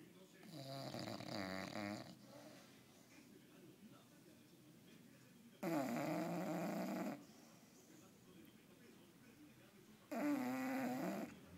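An English Bulldog snores heavily, each rough, rattling inhale lasting a second or two. The loud snores come every few seconds, separated by softer, wheezy breathing.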